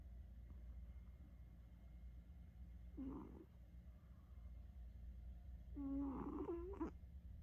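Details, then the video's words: Sleeping house cat snoring, its pitch ranging from deep to high: two breathy snores, the second longer and stronger with a whistling tonal streak, separated by quiet low room hum. "猫の日常 ~低音から高音まで自由自在にいびきを繰り出す~"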